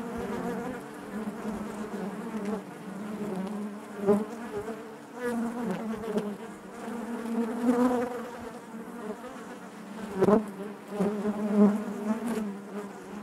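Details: Honey bee colony humming inside its hive, a thick even drone broken by passing close buzzes and short louder flares at irregular moments.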